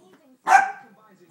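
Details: A single short bark from a dachshund, one sharp burst with a quick fade, against a quiet indoor background with faint murmurs before and after.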